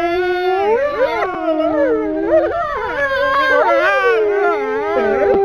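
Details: Four male wolves held at Kolmården Zoo in Sweden, January 2007, during guest petting sessions, howl together: many sliding, wavering voices cross and bend sharply, with one lower tone holding steady beneath the tangle.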